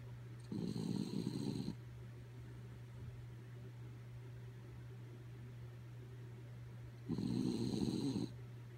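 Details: Sleeping dog Kaya Boo snores twice, each a coarse, buzzing rasp just over a second long, with about five quiet seconds of low humming background between them.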